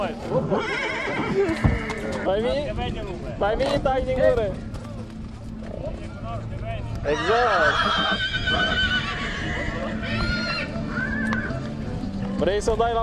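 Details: Mare in Satu Mare, Romania, whinnying in repeated bouts of quavering, arched calls, with a longer burst around the middle, over steady human conversation and some background noise.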